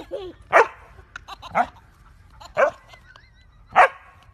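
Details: A dog barking while a baby laughs at it; four sharp loud barks spaced about one second apart, with a baby's high giggles and squeals between them.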